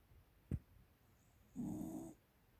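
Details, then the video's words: Snore from a 13-year-old female American Cocker Spaniel kept as a pet: a single low, rough, droning inhale lasting about half a second, preceded by a brief sharp click, in a quiet room. "いびきが凄いwwwでも可愛い💖American Cocker Spaniel"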